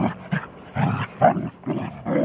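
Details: Three-month-old Bernese Mountain Dog puppy Stella pestering 14-year-old mix-breed Micah to play, filmed 7 June 2014. Short gruff barks and growly bursts come about five times in two seconds, low and rough, with brief gaps between.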